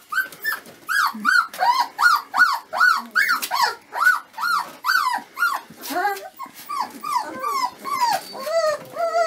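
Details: Dobermann puppies, a 25-day-old litter, whining and whimpering continuously: high arched whines, each rising and then falling, come quickly one after another, about two or three per second. Several pups seem to overlap, with some lower, rougher squeals near the end.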